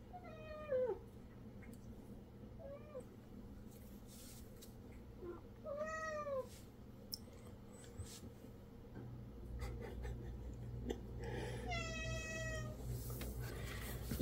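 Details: Domestic cat in a countryside home with twelve cats, meowing for a snack while its owner talks to it; several drawn-out falling meows with rich harmonics, one rising-falling, spaced a few seconds apart, with faint bird chirps and a woman's speech.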